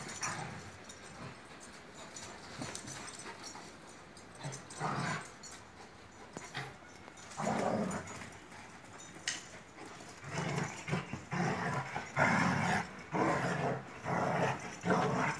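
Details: Akbaş shepherd dogs Asil and Güdük Reis with Kangal Zeyna playing rough in Türkiye, Zeyna somewhat aggressive; short noisy growling bursts and yips come irregularly, denser and louder in the second half, with faint whimpers between.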